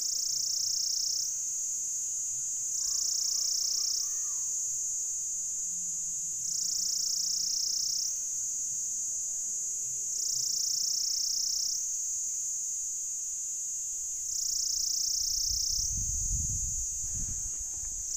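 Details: Pycna repanda cicada giving its mating call: a continuous high shrill drone that swells louder for a second or so roughly every four seconds, steady and unbroken, with a brief low thump near the end.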